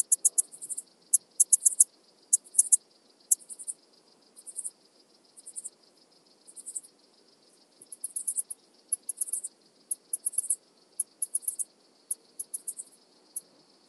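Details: Alpine saw bush-cricket song recorded in Brixen, Italy, 11 September 2022: continuous series of sharp, very high clicking pulse bursts, each group of several rapid ticks, recurring about every half second to second, with a faint steady high hiss beneath.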